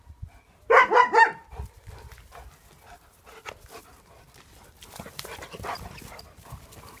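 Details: German Shepherds from a pack give a quick burst of several overlapping barks early on, then only faint shuffling and background noise follow.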